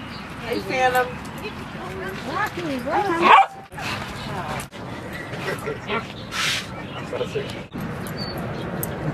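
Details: Rosy and Rocky, dogs at play in Seal Point Dog Park on the western side of San Francisco Bay, January 31, 2015: wavering, pitch-bending whines and short yips in bursts, with people talking nearby.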